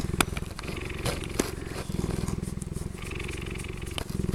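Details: Cheetah purring steadily and loudly, a deep throbbing rumble of quick regular pulses with no break, plus a few faint clicks and soft background noise.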